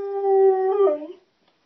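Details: Hound dog howling along with an ice cream truck; one sustained, steady-pitched howl that wavers and drops at the end, lasting just over a second, then fades into silence.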